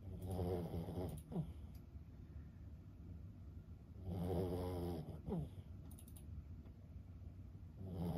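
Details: Lulu, a senior Boston Terrier aged 15, snores in her sleep: two rumbling, buzzy inhalations about four seconds apart, each trailing into a thin whistle, with soft tapping sounds in the room.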